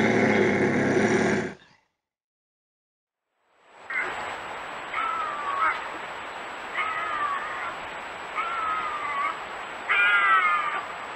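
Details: Bobcat sounds offered as a raccoon and rodent repellent: a run of five drawn-out, meow-like wavering yowls, each bending up and then down, spaced about two seconds apart after a burst of harsh noise and a short silence.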